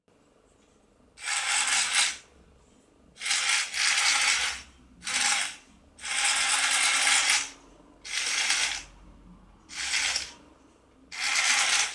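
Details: Repeated bursts of bright ratcheting clatter, each lasting one to two seconds, separated by near silence.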